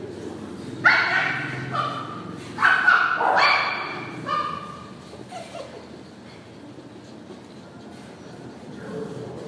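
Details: Purebred poodle barking, sharp high barks in a short burst of three to four, then quieter; a person talks in the background.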